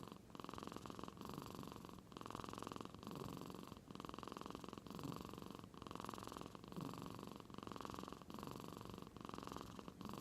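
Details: Cat in deep sleep in Aichi, Japan, producing an old-man-like snore that sounded like purring; a slow, rhythmic rasp with longer, even breath cycles repeats through the clip in a quiet room.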